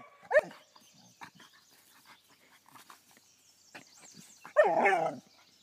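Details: Vizsla dog "speaking" while playing with a firework shell and acting silly: a short rising yelp-like whine, then quiet rustling, then a longer wavering, falling moan-like vocalization; a person urges it on between sounds.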